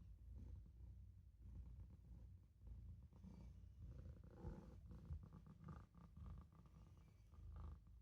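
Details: Maine Coon kitten named Olof purring while napping in a sink indoors; a steady low rumbling purr, pulsing in soft waves a little under once per second, with faint clicks and rustles in a small room.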